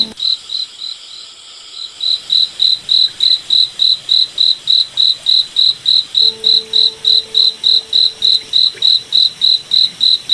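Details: Nighttime forest cricket opening faintly, then settling into loud, regular high chirps about three and a half per second for the rest of the stretch; a quiet low droning tone appears for a few seconds near the end.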